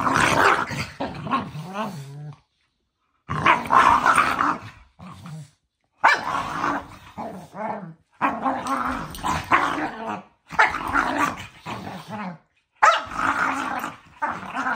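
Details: Two pet dogs play-fighting before bedtime, trading rough, throaty growls in bursts of one to two seconds. Short silent gaps separate the bursts, with sharper bark-like snarls mixed into the rumbling.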